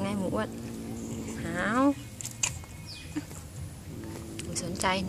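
A Siamese cat utters low, drawn-out yowls that waver and bend in pitch, a warning aimed at another cat. Human voices speaking are also heard between the calls.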